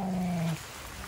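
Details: Vizil the dog whines during an excited reunion with siblings Maggie and Shiney and his owner at a farm house: a short, steady, nasal whine lasting half a second, then quiet background.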